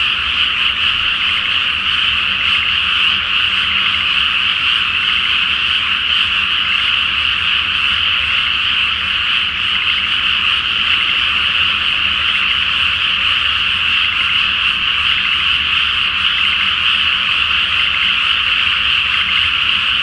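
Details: Great chorus of frogs at night in a rice field flooded before planting, with the full moon reflected on the water; innumerable croaks fuse into a steady, unbroken, buzzing rattle.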